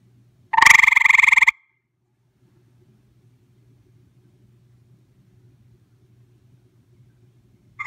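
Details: A visiting gray treefrog heard close up, giving one loud, harsh trill of fast pulses lasting about a second, followed by several seconds of near quiet with only a low background hum.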